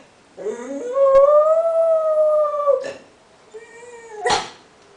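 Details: Domestic dog howling: a long steady tone held over two seconds after a short rising start, then a softer shorter howl that ends in a sharp burst.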